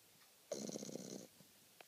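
A French Bulldog gives a single rough, rattling snore lasting under a second.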